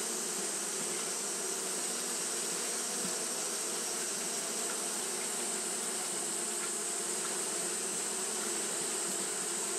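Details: On a hot day, Japanese honey bees keep fanning; their combined wingbeats form a constant layered drone, low humming tones under a broad airy hiss, with no gaps or changes.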